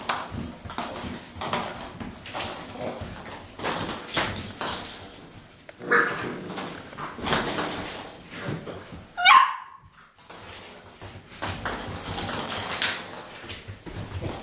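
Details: Six-week-old Boxer puppies of a litter at play indoors, giving short yips, whines and soft barks among scuffling and clicking paws, with a brief sharp squeal near the middle.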